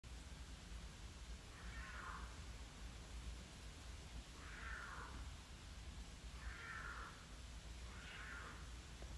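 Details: Mountain lion screaming: four drawn-out, hoarse, wavering cries about every two seconds, heard faintly through constant low rumbling noise.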